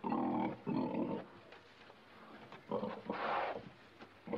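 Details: Pig calling in bursts: two harsh grunting squeals, a near-silent pause with faint snuffles, then a louder, higher squeal and a final short grunt starting at the end.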